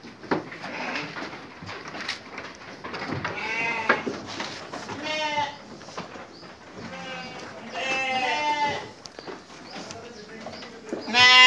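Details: Sheep at their evening feeding give a run of nasal, quavering bleats, several animals calling in turn and overlapping, with short rustling and chewing-like noises between the calls.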